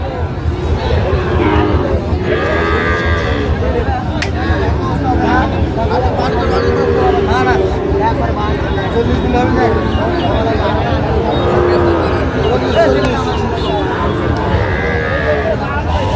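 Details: Raniganj livestock market, 7 August 2025, with Sahiwal bull calves for sale to a Gazipur farmer. Repeated moos from several calves come and go through a long stretch of dense crowd noise, haggling voices and passing vehicles.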